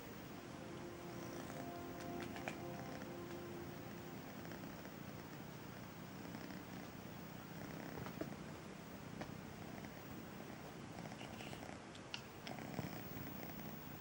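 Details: Braveheart, kitten of Missy the feral cat, purring while meeting the sofa for the first time: a soft, steady low rumble with fine rapid pulsing, a few faint clicks and rustles over it.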